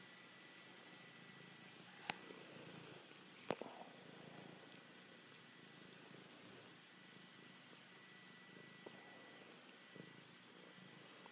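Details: Male domestic cat purring indoors in a home office during its affectionate ritual love attack, climbing all over its owner; a soft, steady, low purr runs throughout with occasional sharp clicks and rustling.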